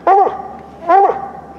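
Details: Hunting dog treeing on a tree connected to two squirrel nests, with a squirrel believed inside; two crisp, loud barks under a second apart, harmonically rich, quiet between.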